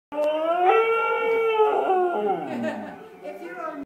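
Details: Saluki dog singing a short song: a sustained, mournful howl with a rich, tonal quality that swells slightly, holds, then slides downward and fades into a softer, wavering tail.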